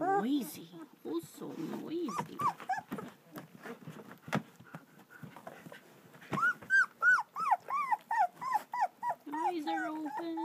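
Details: Litter of German Shepherd puppies, two weeks old, in Florida at Vom Barron's Pride: lower moaning cries give way to a run of clear, bright, arching squeals about three per second, with people talking in the background.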